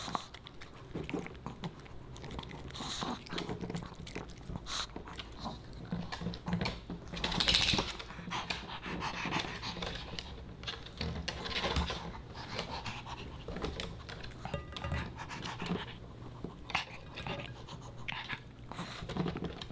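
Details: Boba Bear, a Pomeranian puppy, snacks on dog-friendly fish and chips. Crunchy chewing and wet smacking come in dense, irregular bursts throughout, with occasional louder bites standing out against a quiet background.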